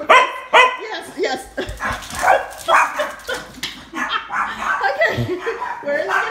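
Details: Treeing Walker Coonhound and Chihuahua playing chase, giving short repeated barks and high yips in quick bursts while a woman talks to them excitedly.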